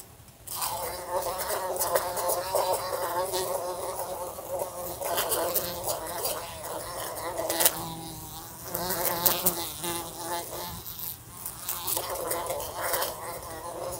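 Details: Indoor recording of a fly near a lamp, bumping into it: steady, wavering buzz with shifting pitch, several short pauses and crisp taps where it strikes the lamp.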